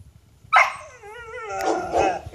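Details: Dogs in Jamaica barking at the person filming, playful: a loud sharp bark followed by a drawn-out, wavering whine-like howl sliding downward, then rougher noisy barking; a man says "Come on, doggy."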